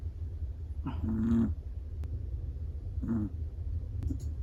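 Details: Sleeping long-coated black-and-tan Chihuahua snoring: two soft, low, breathy rasps about two seconds apart, each roughly half a second long, over a steady low indoor hum.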